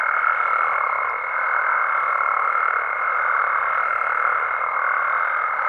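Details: Nighttime amphibian chorus from Mexico, frogs and toads in natural habitat; thick overlapping croaking runs throughout, topped by a constant piercing high whine that never breaks.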